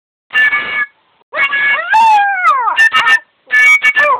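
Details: Yorkshire Terrier pet singing along: high, wavering howls with rich harmonics, one long note sliding downward, in short bursts separated by brief pauses.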